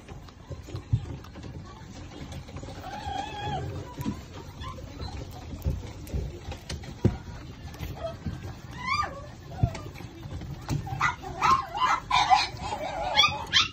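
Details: Shih Tzu puppies, a litter of two males and two females from the parents Ishikawa and Tantan, let out high, thin, wavering whines and squeaks that rise and fall, bunched in the last five seconds over low rumbling handling noise.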